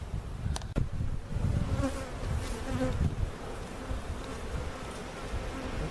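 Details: Honey bees from a hive cutout being relocated to a permanent spot at Jerome Bee Farm in Central Oklahoma, a low droning hum with a few sharp clicks early on.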